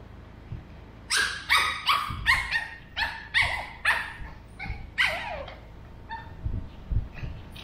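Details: A 13-week-old male Pug puppy in an animated back-and-forth with a two-year-old female mixed Shih Tzu indoors. About a dozen high, yowling barks rise and fall irregularly in a talkative run, with low background rumble.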